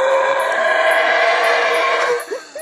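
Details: A single howler monkey at the Belize Zoo roars in a long, harsh, droning howl, then trails off into brief grunts, a territorial call telling others to move away.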